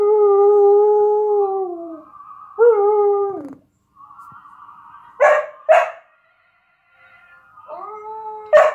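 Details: Female Samoyed dog howling to a playback of herself howling. Drawn-out tonal howls sag and fall at their ends, broken by a quiet gap. Two short harsh yelps follow, then a final rising howl ending in another yelp.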